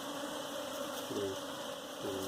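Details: Humming bees during the catching of a hive for domestication: a constant droning tone, with two short rising buzzes as single bees pass close, and Telugu speech around.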